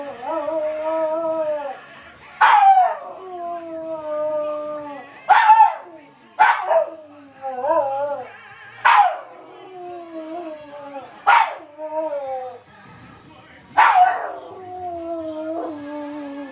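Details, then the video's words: A pet dog howls along on cue to a favourite television advert, its wavering voice rising in repeated bursts over sustained singing from the TV soundtrack. "Dog SingALong with GoCompare TV Ad"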